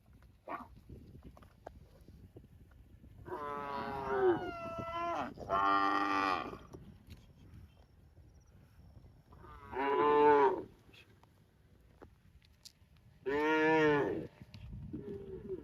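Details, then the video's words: Cow mooing repeatedly: two moos close together early, then two more loud, drawn-out moos spaced a few seconds apart against a quiet background. "Cow Mooing Sound"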